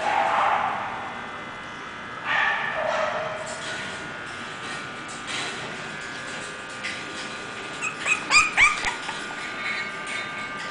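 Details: English Bulldog puppies, bred as playful pets from champion bloodlines. High, thin yips and squeaks come in a quick cluster late on, with a few short whines earlier over a steady indoor hum.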